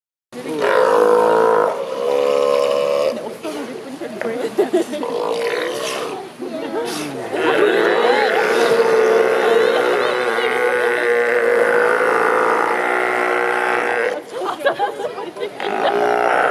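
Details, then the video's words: Captive sea lions at the Vancouver Aquarium in 2016, very vocal: loud, drawn-out, harmonic roaring calls running almost continuously, with brief breaks and rough, wavering, throaty sections between the longer sustained bellows. "Very Vocal Sea Lions"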